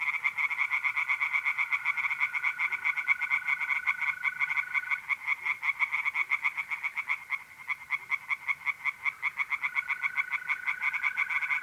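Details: Pond chorus of tree frogs on a mid-April night in north-east Italy, brisk pulsing croaks in a steady stream with one short dip, and a smooth mole cricket trill running alongside.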